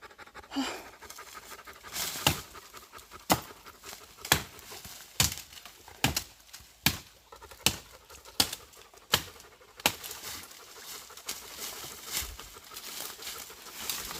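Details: Panting dog in the South Korean woods after a husky chased a pregnant deer; a Labrador retriever also came along. Steady hissing breaths, with sharp clicks or thumps roughly every second, some louder than the breathing.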